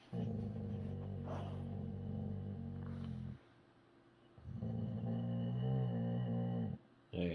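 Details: Boxer dog at morning feeding time, one boxer refusing breakfast while another helps out; a long, low harmonic grumbling groan lasting about three seconds, a short pause, then a second drawn-out groan, with faint speech.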